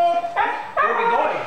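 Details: Pet Siberian Husky vocalizing indoors, excited before going for a walk: two short, high, harmonic whine-yodels, the second rising then wavering, with a brief pause between them.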